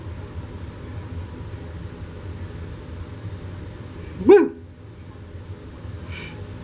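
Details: Lhasa Apso named Jimmy at play with his owner on a Friday afternoon, taken with a Canon PowerShot SX530 HS camera; a single sharp bark rings out around four seconds over a steady low indoor hum, and a faint brief sound follows near the end.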